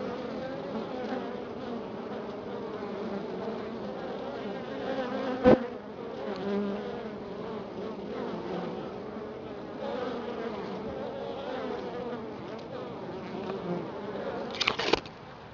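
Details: Many honey bees humming continuously at a Florida hive following a week of colder weather; even, layered droning with slight swells, broken by a sharp click midway and a few crackling knocks near the end.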